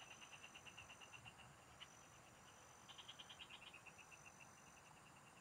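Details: Frogs calling in a field, recorded while fishing: a rapid train of short pulsed notes, about three per second, runs steadily, then a denser burst of overlapping pulses, with a thin continuous insect whine above.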